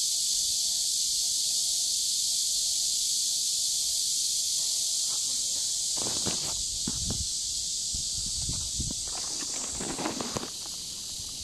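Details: Cicadas singing by a river in warm summer, recorded 23.7.15; a dense, unbroken high-pitched hissing buzz holds steady throughout, with footsteps or rustling crunches breaking in from about six seconds onward.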